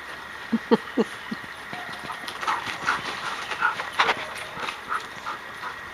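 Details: Samoyed pet dog Suka at play with children: four quick low yips in the first second and a half, then scattered softer thumps and rustling noises of play.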